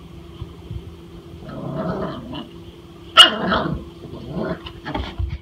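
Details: Frightened dog reacting to something that scares it: a low rumbling growl, then one sudden sharp bark followed by further throaty grumbles, with a man's voice speaking nearby.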